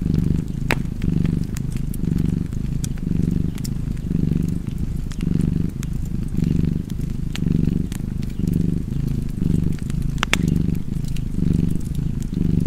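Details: Contented domestic cat purring steadily, a throaty low buzz pulsing with its breathing near once a second, while a fireplace crackles with occasional loud pops.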